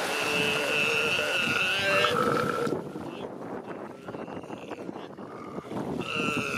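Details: Galápagos sea lion pup and mother calling as they greet each other on the beach at Punta Carola, San Cristóbal, January 2020: a drawn-out, wavering, harmonic bawl for nearly three seconds, another starting near the end, over surf and wind.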